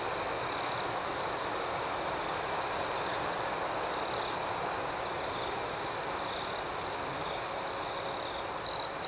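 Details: Nighttime cricket chorus outdoors, a constant high-pitched ringing drone beneath regularly repeated soft pulsed chirps, steady in loudness, with a brief louder trill at the very end.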